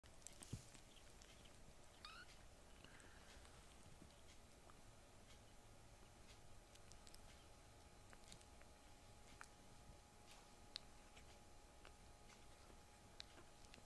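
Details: Rescued foster kittens in a home with older brother cats, the little ones being loud and rowdy; a few faint, short meows around two to three seconds into the clip, otherwise quiet room noise with soft taps and rustles.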